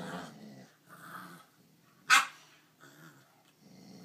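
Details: Nine-week-old puppy trying to steal another dog's bone indoors: low rumbling growls come in bursts, broken by one sharp, loud yip midway, with rustling between.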